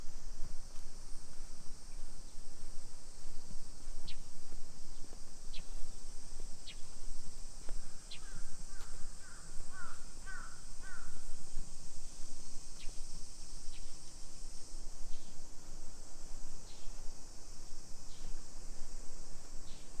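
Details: Cicadas singing on a summer afternoon, 2 PM, 28 July 2021, in suburban Nisshin outside Nagoya, Japan: an unbroken high shrill buzz, with a burst of harsh bird calls near the middle and scattered clicks and street sounds.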